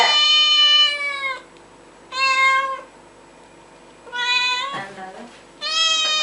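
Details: Cats at play and scuffling; four clear, sustained meows spaced roughly every one and a half to two seconds, the third wavering and breaking into a short throaty sound.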